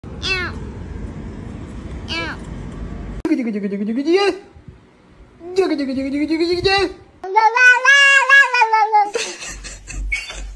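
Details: Black cat giving long, drawn-out wavering meows, some bending down then up in pitch, the last one higher and strained; people laugh and talk between the calls.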